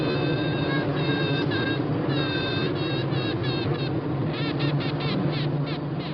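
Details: In Australia, a Western honey bee queen, the only queen and mother of her hive, pipes with pure, tooting tones over the steady low hum of the colony.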